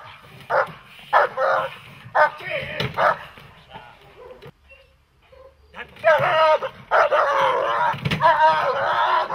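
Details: A dog in protection training, German Shepherd or Malinois, gives scattered short barks with a person talking. A brief quiet pause follows, then an unbroken stretch of loud, rough barking.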